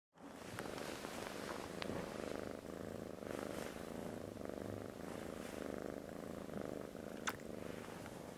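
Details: A newly adopted Siamese cat on its first day at home purrs steadily, a low rumbling drone that pulses with each breath.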